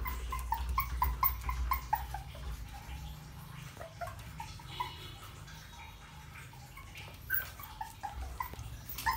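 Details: Puppy whimpering in quick repeated high cries, several per second early on, then sparser yips, with a heavy low rumble underneath.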